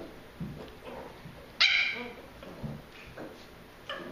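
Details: Pembroke Welsh Corgi puppies at play. One sharp, high-pitched yap rings out, with a short tail, among soft scuffling and faint little yips before and after it.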